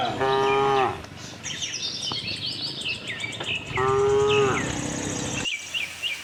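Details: Cattle herd on a farm looking for grass; two short mooing calls a few seconds apart, each with a bright steady tone, set against busy bird chirping.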